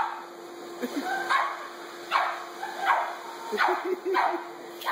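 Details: A dog faces a vacuum cleaner, giving spaced gruff barks about every half to one second, with thin whimpering squeals running between them and a low constant hum in the background.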